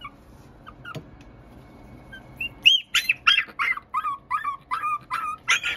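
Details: Teacup Poodle x Maltese mix puppy, near silence with a few faint squeaks at first, then a string of sharp, high yips and whines roughly twice a second through the second half.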